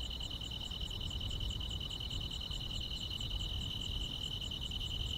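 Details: Grass insects on a quiet rural summer night chirp in a steady, high pulsing trill over a low rumble of background noise.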